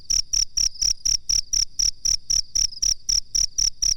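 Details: Master recording of a cricket for teaching birds, giving bright, high-pitched chirps in a clean regular beat of roughly four per second, sixteen pulses in all, each with a short buzzy edge, background otherwise quiet.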